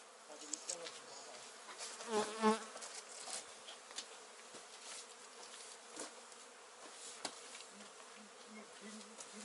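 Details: Honey bees kept by a beginner beekeeper: a faint, low droning hum comes and goes, swelling into a louder wavering pass near the start, over steady background hiss with scattered clicks.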